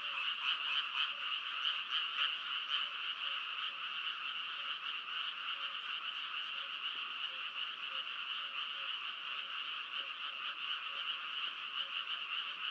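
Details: Frogs croaking in a continuous chorus, fast pulsed notes near four per second, louder and more distinct for the first few seconds before settling into an even trilling hum.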